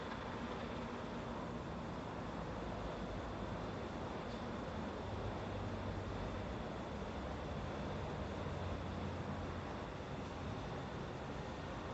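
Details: Steady low rumble of passing vehicle or train noise with a faint high whine, and no animal calls.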